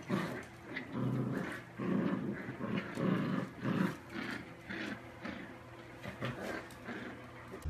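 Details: Dachshund puppies at play, giving low, rumbling growls and short throaty bursts in irregular bouts, about one a second, with soft scuffling noises between them.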